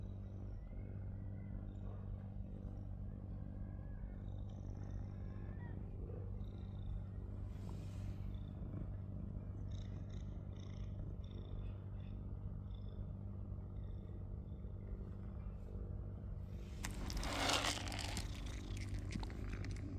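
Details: Gray-furred male stray cat on Cat Island, reunited with a visitor after months and still in the same spot, purrs in a low, steady, continuous rumble; faint high chirps appear early, and a loud rustling burst comes near the end.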